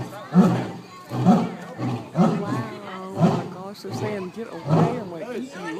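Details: Captive lions at the Louisville Zoo giving a series of deep, low grunting roars, about five heavy pulses roughly one second apart, with people talking loudly over and between the grunts.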